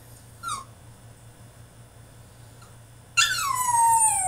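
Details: Caged French Bulldog in a tantrum: a brief squeak, a long pause, then a loud, drawn-out whine that slides steadily downward in pitch and holds on in a room.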